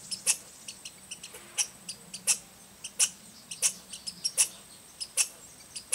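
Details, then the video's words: Wild American red squirrel at Rydell National Wildlife Refuge, Minnesota, 10 August 2010, giving a scolding chatter: abrupt high clicks and chips, roughly one or two a second at irregular intervals, over a faint low droning undertone. "Red Squirrel (Sciuridae: Tamiasciurus hudsonicus) Vocalization"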